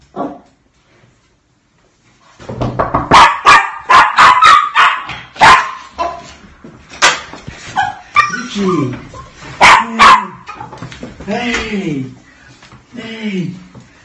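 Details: Dog greeting its owner after a long separation: a run of loud sharp barks and yips, followed by excited human talking with rising and falling voices.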